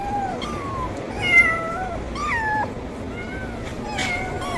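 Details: Loud meowing of a hungry kitten asking for food: a rapid run of bright, wavering meows, some bending up then down, with a brief knock and light background noise.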